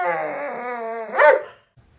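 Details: Luoluo, a pet Alaskan Malamute, reacting as its owner pretends to stew a puppy: a sustained, harmonic, talking howl held level for over a second, then a sharp upward yelp before falling silent.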